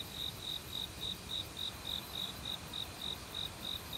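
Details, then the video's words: Autumn forest cricket near a stream, one of many insects singing. Crisp, high-pitched chirps repeat with clockwork regularity, about three and a half per second, each a short bright pulse, above a soft hiss of running water. "가을 귀뚜라미 소리"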